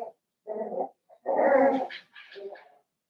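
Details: Blenheim Cavalier King Charles Spaniel puppies, a litter of five born on New Year's, in an indoor puppy pen: a short run of muffled growling whines in separate bursts, the longest and loudest at the middle, then a higher whimpering tail.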